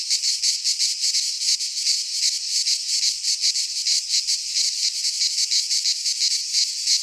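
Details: Singing cicadas from Greek fauna in a midsummer pine forest: a shrill grating buzz that pulses in quick, slightly uneven surges, dense and continuous.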